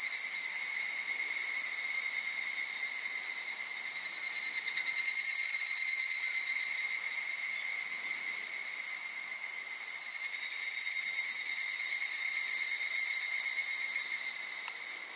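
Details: A male evening cicada (higurashi) sings a bright, continuous metallic ringing, high-pitched and shimmering, around 5 pm on a humid summer evening on the Aotani trail of Mount Maya, Japan.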